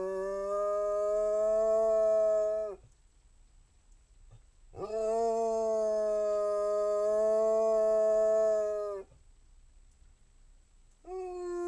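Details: Basset Hound howling in long sustained, steady, harmonic-rich notes of about three and four seconds, separated by short silent pauses, with another howl starting at the end.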